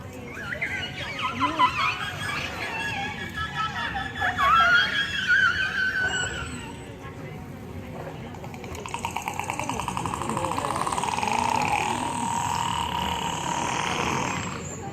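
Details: Captive killer whales at a public presentation call through their blowholes, each pod having its own dialect: squeaky whistles and wavering, rising tones, then buzzy pulsed calls, over crowd chatter.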